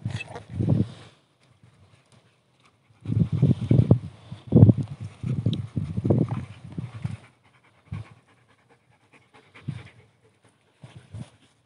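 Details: Belgian Malinois dog panting in bursts of low, breathy huffs, with a long run of quick pants in the middle and a few brief gasps afterwards, separated by quiet pauses.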